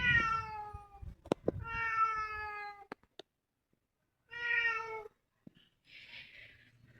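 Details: Cat that has come into a house; two long, clear harmonic meows, then a pause with a few clicks and a third drawn-out meow, ending in a soft hiss of background noise.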